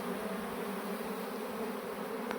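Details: Honey bees from a swarm that had flown off, shifted into a modern hive by a beekeeper; a continuous layered hum holds steady at a constant loudness, with a faint click near the end.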